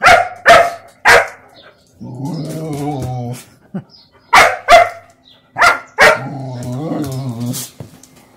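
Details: German Shepherd puppy at play, pestering a mixed-breed dog. Pairs of loud, abrupt barks alternate with wavering, throaty growls lasting a second or more, in a repeating bark-bark-growl pattern.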